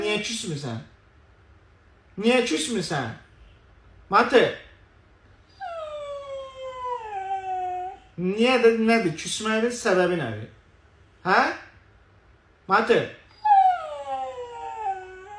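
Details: Pet husky Matı howls twice indoors, each cry a smooth two-second wail that falls in pitch, interleaved with a person's Azerbaijani speech and coaxing words.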